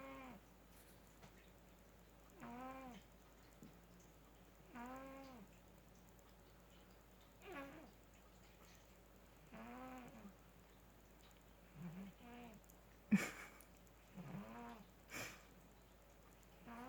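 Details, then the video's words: A male house cat asleep and snoring like a human, louder than some humans: short tonal, nasal snore notes repeat steadily about every two and a half seconds, each rising then dipping, with a faint click and a brief tap between them. "Cat snores like a human!"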